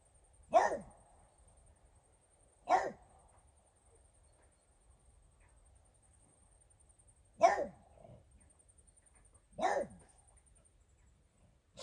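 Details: French Bulldog barking indoors at imagined fairies: four short, sharp single barks, two close together, a pause of almost five seconds, then two more, in an otherwise quiet small room.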